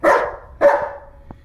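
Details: German Shepherd named Bear playing with a floppy fish toy indoors, giving two loud, sharp barks about half a second apart, the second trailing into a short falling whine.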